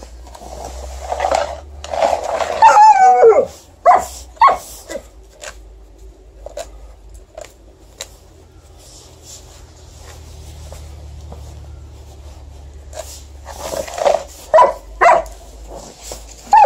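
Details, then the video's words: Female Alaskan Malamute loudly objecting to snow being shovelled on a December night after fresh snowfall, recorded by mobile phone: wavering, wobbling howl-like moans and short barking bursts early on, a quiet stretch, then more choppy vocal outbursts. "Alaskan Malamute fiercely objects to snow shoveling"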